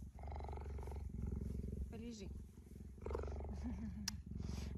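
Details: Affectionate pet female cheetah lying down with a person at home, giving a continuous low, throbbing purr like a fast motor, while a person speaks gently and coos in between.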